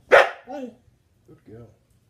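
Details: Trained husky vocalizing on command during a trick routine: a sharp opening yelp, then two short, wavering, mid-pitched 'woo' sounds with clear harmonics. A person's voice gives commands and praise.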